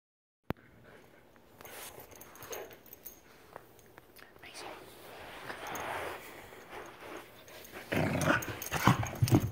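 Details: Aussiedoodle female dog mad at her toy while playing, giving rough, noisy growls that build into louder, harsher bursts near the end, with soft scuffling in between.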